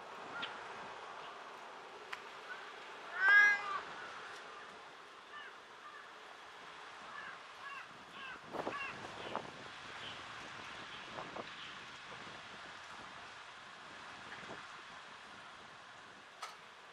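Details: Talkative tortoiseshell domestic cat: one loud harmonic meow about three seconds in, followed by a scatter of fainter, shorter mews and soft clicks against a quiet background hiss.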